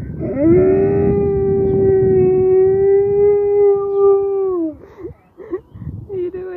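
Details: A Siberian Husky howling in response to sirens gives a long, steady howl that swells slightly, then drops away into short whines.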